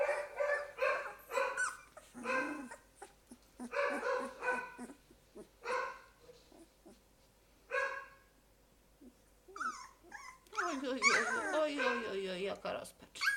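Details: Litter of Golden Retriever puppies, two weeks old, crying: repeated short yelping whimpers about twice a second, a pause, then long descending whines that overlap as several pups cry together; soft human voice nearby.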